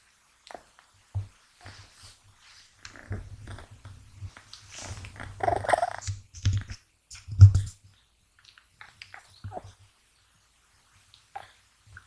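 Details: Gash, a male American Shorthair kitten born 6 January 2020, snores in a deep sleep that nothing wakes him from, even while being touched: soft low rumbling breaths in short bursts, with rustling handling noises in between.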